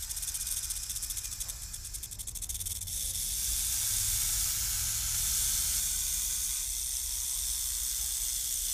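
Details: Rattlesnake rattling: a steady dry high hiss-like buzz held throughout, with a faster pulsed stretch in the first three seconds.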